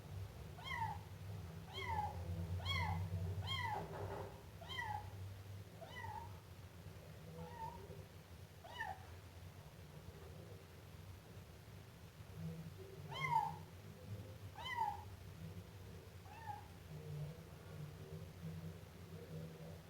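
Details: Siamese kitten meowing over and over, short high mews coming more than once a second at first and then more sparsely, with a low hum in the background.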